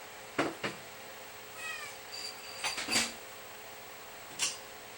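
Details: A pet cat indoors gives a short, descending meow as it is offered food and asked how much it wants, with packet rustling, dish clatter and a person speaking.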